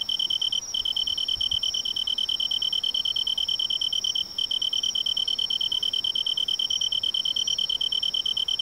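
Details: Autumn riverside tree cricket song, rapid regular pulses about three per second, layered over a steady high continuous insect trill, with a brief gap midway.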